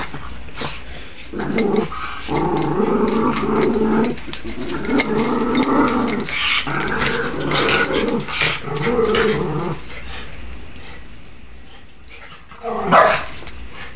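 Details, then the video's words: Play-wrestling dogs recorded on an Android phone, giving sustained deep growls in repeated bursts of one to two seconds across most of the recording, then a pause and a short sharp higher yelp near the close. "Doggie Wrestle Fest!"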